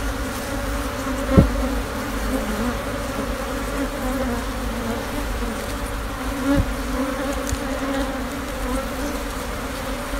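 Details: A wild honey bee colony nesting for a long time beneath an abandoned, vine-covered sofa, sixteen combs full of brood: a dense, steady low hum of many bees, with a couple of brief knocks.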